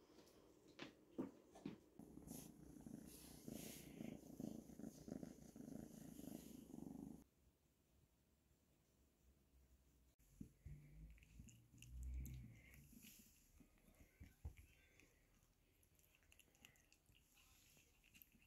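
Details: Pet cat purring while being played with, fed and scratched; a soft, low, pulsing rumble fills the first seven seconds, then quieter stretches with rustling and handling noises.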